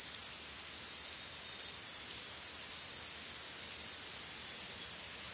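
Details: Greek forest cicadas producing a sustained high-pitched rasping chorus that waxes and wanes in loose, irregular swells about once a second.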